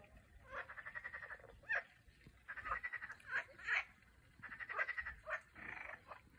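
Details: Frogs in Turkey croaking: rapid pulsed rattles lasting about a second, repeated in bouts with short sharp notes between, other frogs calling behind.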